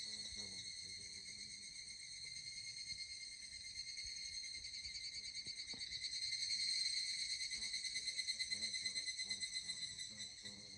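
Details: Evening cicada singing on a hot summer day along a hiking trail in the Koya Sanzan mountains: a continuous, shimmering, high ringing trill with rapid metallic pulsing that swells in loudness midway, then eases slightly. Faint footsteps or clicks beneath.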